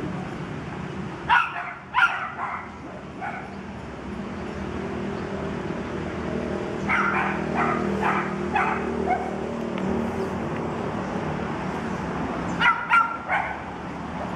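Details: Toy poodle puppies, 45 days old, running and playing; short sharp yips come in clusters near the start, again in a burst of several around the middle, and a final quick group near the end, over a steady low background hum.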